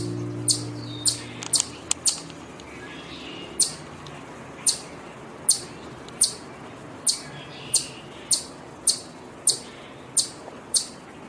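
A chipmunk gives sharp, high, bird-like chirps, repeated about once a second.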